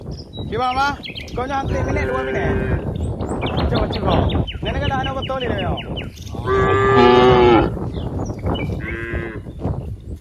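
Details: Dozens of cows playing together in green rice fields, several animals mooing in turn: long, loud, drawn-out harmonic moos, some rising then falling, overlapping in quick succession, with rustling and scattered background noise.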